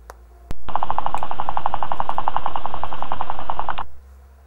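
A guinea pig chatters its teeth in a rapid, even run of clicks that signals anger.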